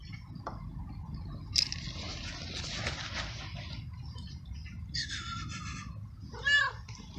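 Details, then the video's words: Homeless male street cat in heat, found in a garden and fed for weeks, meowing loudly to call a female and ask for food; two short harmonic meows near the end, the last rising and falling, over rustling, watery background noise. "Street Cat Meowing Loud And Asking For Food"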